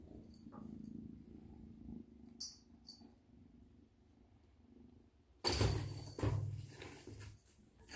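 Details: A female Bengal cat purrs in a soft, low, even rumble for several seconds, then a loud, harsh, noisy burst cuts across it and fades in uneven pulses.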